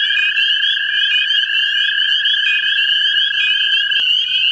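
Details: American toads calling for mates in a central Ohio vernal pool: a long, steady, even trill held through the clip, briefly breaking near the end, under a dense chorus of higher, wavering chirps.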